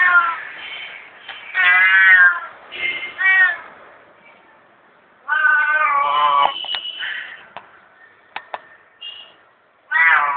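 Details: Hungry domestic cat asking for food: loud drawn-out harmonic meows, two in quick succession early, a longer wavering one mid-way and another at the end, with scattered clicks and faint background sounds between.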